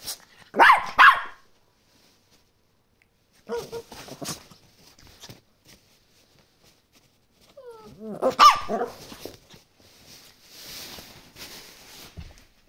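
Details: Chorkie, a Chihuahua and Yorkshire Terrier cross, excited for a new toy, lets out scattered high yips and barks in separate bursts with quiet gaps, some whiny rising notes and rustling between them.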